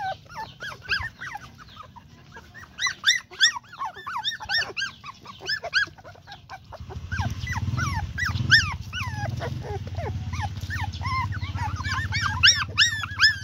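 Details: Several puppies calling together in a chorus of high, whining yelps that rise and fall in curved squeals, often overlapping in quick bursts. A low rumbling hum grows beneath them in the second half.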